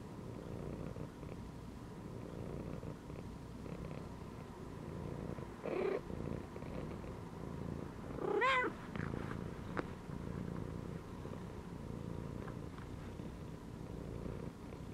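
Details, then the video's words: Cat lying relaxed inside a gym belt, purring softly in a low, steady rumbling throb throughout, broken once near the middle by a brief, quiet rising meow. "CAT CHILLING PURRING AND MEOWING INSIDE THE GYM BELT"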